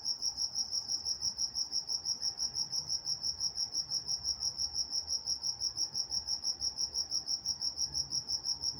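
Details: In Walnut, California at night, crickets keep up a regular high, ringing chirp, close to three pulses each second, very steady throughout, with soft distant rumble underneath.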